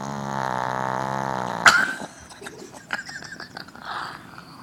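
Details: Sleeping dog, described as a northern dog, snoring: one sustained low buzzy rumble with rich harmonics lasting about 1.7 seconds, ending abruptly in a sharp click, followed by soft clicks and rustling.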